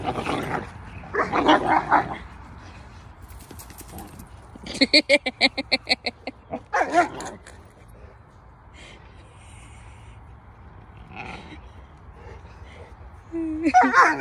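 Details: Cane Corso puppies in a pack yipping in rapid, evenly pulsed runs of sharp high yelps, then falling quiet before a final louder squeal, with faint voices between bursts.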